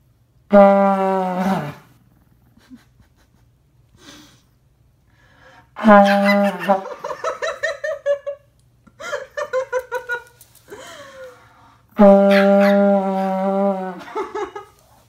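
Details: Teacup Chihuahua howling in reaction to a vuvuzela indoors: three long, flat droning horn blasts, each followed by wavering, pulsing little howls from the dog, with faint laughter between.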